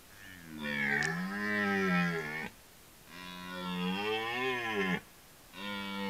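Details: Rutting red deer roars: three deep, groaning bellows in a row, each about two seconds long with short pauses between. The pitch wavers, rising and falling within each roar, and the tone is harsh and harmonic.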